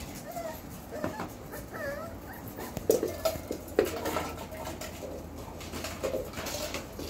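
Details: Belgian Malinois puppies from the Beastie/Barron litter, four weeks and four days old, born 9/26/2021: soft, arching whimpers and squeaks in the opening seconds, then scattered knocks and rustling over a low background hum.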